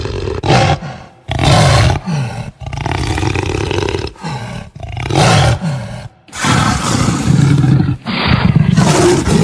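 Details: Jaguar roaring loudly in repeated deep, raspy bursts of about a second each, broken by short silences, with some longer rumbling stretches between the harsher roars.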